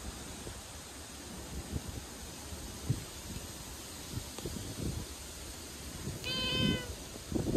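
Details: A stray calico cat meows sadly on a typhoon day. One short, clear, tonal meow comes near the end over constant roaring wind and rustling thumps.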